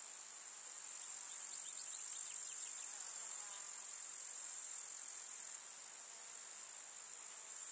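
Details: Chorus of grasshoppers stridulating in a rural summer meadow: an unbroken high, shimmering buzz dominates, with faint brief chirps around the middle and a slight drop in loudness near the end.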